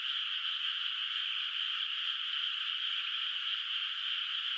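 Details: Frogs heard from afar on a moonlit countryside night over a flooded rice field still without rice; the calls merge into one continuous, even chorus that stays level, with nothing else audible.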